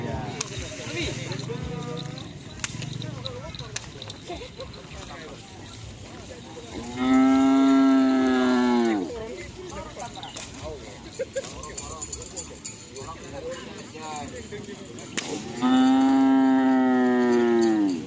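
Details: Madura bulls during karapan sapi race training at the Asemanis field in Pamekasan: two long, loud, steady moos with rich harmonics, each about two seconds, separated by quieter crowd murmur and background music.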